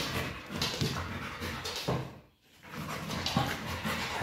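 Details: A pit bull panting while playing with a Pilates ball indoors, quick rhythmic breathy puffs repeating through the clip with a brief quiet gap midway, faint background music.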